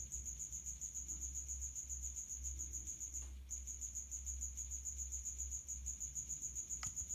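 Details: Male common house cricket stridulating with its outer wings at high temperature from a resonant hiding place; a fast, continuous high-pitched chirping pulsed steadily, briefly pausing once near the middle, over a low background hum.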